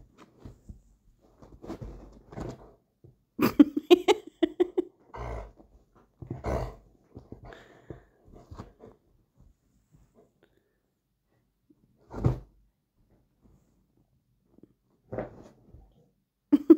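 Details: Play fight indoors between Marlow, a rottweiler cross, and his new baby sister Mimi, their first, with the puppy going for his feet: short bursts of low growls and whiny yelps come in clusters, with quiet gaps between.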